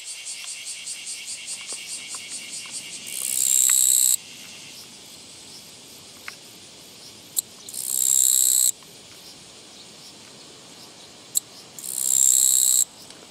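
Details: On a walking path on 24 August 2017, a Japanese katydid repeats three raspy, one-second buzzes roughly every four to five seconds. Soft, fast insect pulses lead in, with a few sharp clicks between buzzes.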